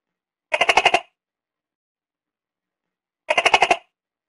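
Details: Tokay gecko making two brief rattling bursts, each a rapid, even series of about seven clicking pulses lasting half a second, separated by nearly three seconds of silence.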